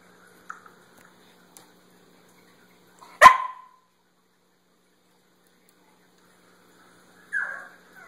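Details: Basenji pet dog producing a single loud abrupt bark, then a softer second bark several seconds later, with small clicks and near silence between.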